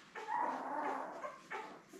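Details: Newborn Labrador Retriever puppies, born May 24, 2021, with their mother Belle on a live puppy cam; a soft, drawn-out whimpering whine with stacked harmonics, then a shorter second cry.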